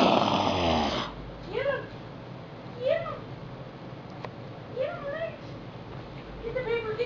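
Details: Several Chihuahua puppies playing all over a floor indoors, giving thin, high whimpering yelps that rise and fall, one every second or so, after a brief loud burst of noise at the start.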